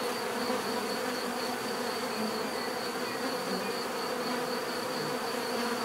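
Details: Steady, full buzzing of numerous bees, a low vibrating drone without pauses, over a faint thin high whine.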